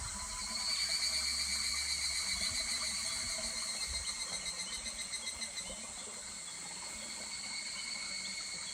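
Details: Higurashi cicada calling in July beside a babbling stream at Kuragari Pass; a high, rapidly pulsed trilling phrase swells and then fades in a fast series of beats over steady insect drone and the gentle trickle of water.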